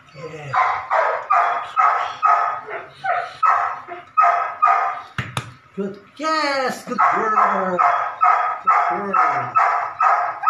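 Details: Belgian Malinois puppy, nine weeks old, at ball and prey drive training, barking steadily about twice a second with harsh, ringing barks, broken midway by a sharp click and a short run of high yelping whines; a person speaks briefly.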